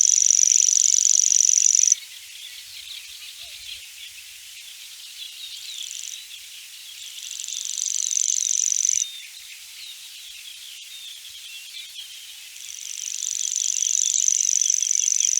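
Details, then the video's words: Grasshoppers buzzing at night: a high, thin, steady buzz that switches on and off in bursts of a few seconds, over a constant background chorus of softer insect hum. "Grasshopper Buzz, Night Grasshopper Humming Sound"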